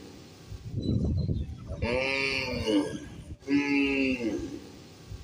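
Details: Cow grazing in a field with a calf nearby: low rumbling noise first, then two drawn-out harmonic moos, the second steadier and slightly falling, with faint background noise.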